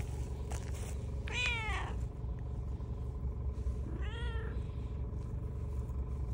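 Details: Calico cat named Heart meowing twice, each a harmonic, arching meow, the first about 1.4 s in and the second near 4 s, over a steady low rumble of background noise.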